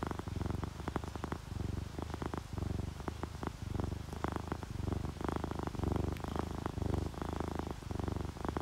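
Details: Steady low purring from a sleeping domestic cat, an orange tabby or calico, relaxed and content; rapid rumbling pulses swell and ease in breathing-paced bursts roughly every second, with only a faint hiss behind.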